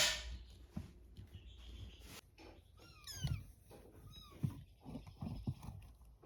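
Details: Cat with her kittens, indoors; faint, high, thin mews rise and fall, one near the middle and a softer one shortly after, over low rumbling handling noise and soft thumps.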